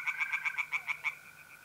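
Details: Tree frogs singing at night in a pond in mid-April, North-East Italy: a brief run of about eight quick, evenly spaced nasal pulses that fade out, over a faint steady trill of mole crickets.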